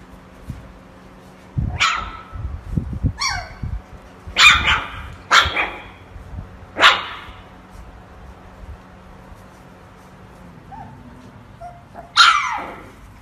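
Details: Pomsky puppies, a Husky and Pomeranian mix, bark in short, sharp, high yips. About seven separate barks, some with quick falling tails, come at uneven gaps, with soft low thumps between them.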